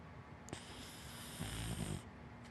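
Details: Hana, a big black Dachshund–Labrador mix dog, asleep and snoring: one long breathy rush of air lasting about a second and a half that ends in a low, rumbling rattle, over quiet indoor room noise.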